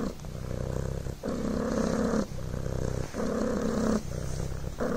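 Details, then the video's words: Devon Rex kitten named Coco purring: a continuous low buzzing rumble that swells and dips with each breath, alternating phases roughly every second, steady and close. "PURRING BLANKET"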